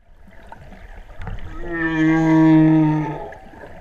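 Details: Humpback whale song recorded underwater by a freediver off Hawaii's Big Island during the spring equinox total solar eclipse, 2015: a single sustained tonal moan, rich in harmonics, swelling and fading over about two seconds.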